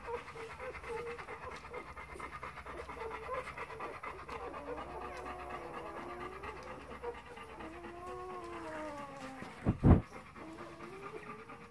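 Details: Four-day-old Golden Retriever puppies make soft, thin whines and squeaks that bend and waver in pitch, several voices overlapping, and a sharp bump or knock breaks in near the end.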